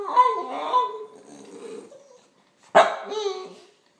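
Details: Aldous, a Boston Terrier and Fox Terrier cross, jealous while Patches eats: drawn-out wavering whining tones slide through the first two seconds, then a single sharp bark follows by a shorter whine.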